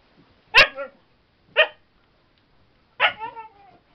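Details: Playful female Siberian Husky bouncing as she barks: three clear, harsh barks roughly one second apart, the first and last trailing into a brief whining tail, indoors.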